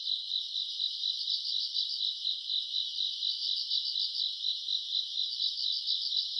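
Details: Grass insects at night in summer, recorded around August, produce a continuous high-pitched pulsing trill, many callers blending into one even, shimmering wall of sound.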